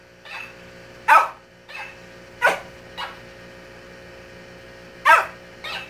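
A Shih Tzu gives sharp, high barks, each followed by a fainter electronic replay of the bark.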